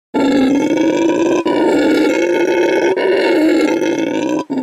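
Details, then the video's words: A male red howler monkey rescued from animal trafficking, now at a refuge and eco lodge in Bolivia, howls as loudly as he can to mark territory at his new home; a continuous, harmonically rich roaring drone broken by brief pauses for breath. "Red Howler Monkey Howls to Mark His Territory"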